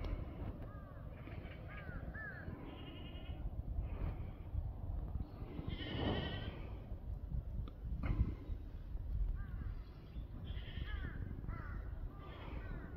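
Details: Farmed black goats in Gimhae, South Korea, in November 2024, calling repeatedly: overlapping quavering bleats from several animals, one louder call near the middle, set against steady low-pitched background noise.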